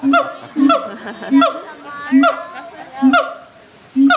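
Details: Loud honk-like barks from siamangs at the Erie Zoo, audible across the grounds. About six strong, harmonic notes come roughly once a second at uneven intervals, with quieter background between them.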